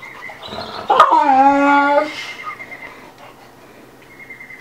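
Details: Two dogs playing together, Bubba, a two-year-old American Bulldog, and Ruby, a five-month-old Dogue de Bordeaux; one gives a loud drawn-out whine that slides downward over about a second, after a sharp knock, with a thin steady high tone lingering afterwards.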